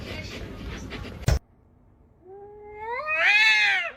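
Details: Domestic cat giving one long, loud meow that climbs in pitch, swells, then dips at the end, preceded by a stretch of household noise and a sharp thump.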